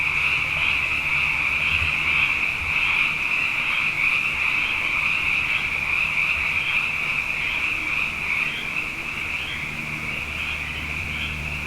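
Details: Many frogs sing through the night after consecutive wet years, their overlapping rapid high notes merging into a dense trilling sound bath, about two to three pulses per second audible, fading slightly near the end.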